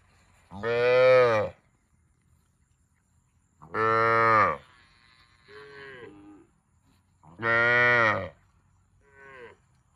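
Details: Cow mooing: three loud, drawn-out harmonic moos about a second each, spaced roughly every three to four seconds, with two shorter, softer lowing sounds between them; no other clear sounds.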